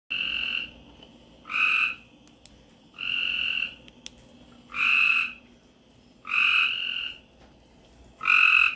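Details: In Florida in late spring, after a rainstorm, a frog gives buzzy, nasal, fairly high calls, each about half a second, repeated every second and a half.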